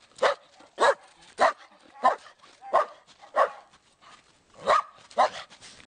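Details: Domestic dog delivering steady sharp barks, around eight in six seconds, each short and loud, with nothing else audible.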